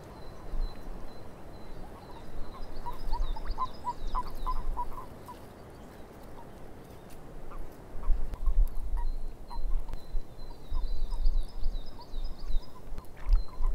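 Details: Frogs in a swamp, short croaking notes bunched into a lively burst, fading, then returning sparser; a high thin bird twitter repeats above, over a constant low rumble of background noise.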